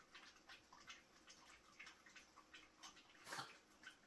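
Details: Yorkshire Terriers drink goat milk from two small dishes. Soft, moist lapping clicks come about three times a second in a steady rhythm, with one louder wet smack near the end.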